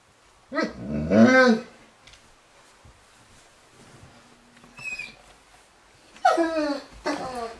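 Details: Gort, a dog, reacts to a deer with two bursts of rough, growly barks that rise and fall in pitch, separated by a quieter stretch with faint room sounds.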